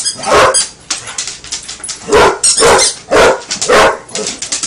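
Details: Buster, a Basset Hound, barks during play with his toy alligator; strong, irregularly spaced barks about two per second, alternating with softer rustling and movement sounds.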